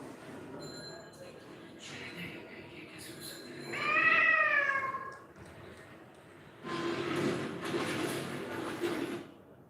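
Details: A rescued, once-abandoned domestic cat kept at a home cat shelter gives one drawn-out, tonal meow that swells and fades, set among faint human voices and a rustling background noise.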